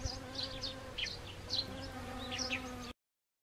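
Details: Honeybees at Siberian chrysanthemum blossoms on an autumn day, 1 October 2020, in Gangwon Province, Korea. A continuous, even drone hums for about three seconds beneath scattered quick, high-pitched chirps, then cuts to silence.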